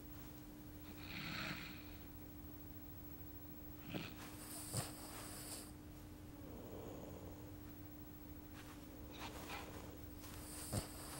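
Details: Labrador Retriever puppies sleeping and dreaming; soft, faint snorts and breathy sniffs come at scattered moments, near one, four, five and eleven seconds, over a low steady indoor hum.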